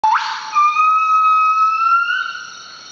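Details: Northern buff-cheeked crested gibbon (Nomascus annamensis) singing in early morning in the Veun Sai-Siem Pang Conservation Area, northeastern Cambodia. A pure whistled note swoops sharply upward, then settles into a long sustained tone that slowly climbs in pitch.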